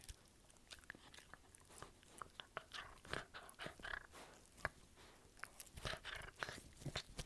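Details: Indoor recording of a dog biting and crunching, with irregular sharp clicks and louder bursts of chewing in the second half.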